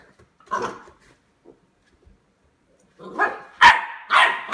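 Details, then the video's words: Eight-week-old Lab puppy discovering a door stop: a single short yap, a quiet gap, then three loud harsh yaps in quick succession. "Puppy attacks door stop"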